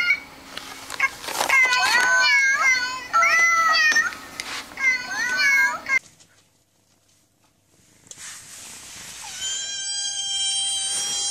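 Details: Cats from a vocal pet compilation giving quick bursts of high, bending meows for several seconds, then near silence, followed by a loud hissy passage with steady high tones.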